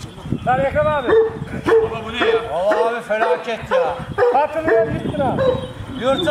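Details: Aggressive giant Kangal dogs bark at each other. Arched, tonal barks repeat roughly every half second with strong harmonics, partly overlapping as though from more than one dog, over Turkish conversation.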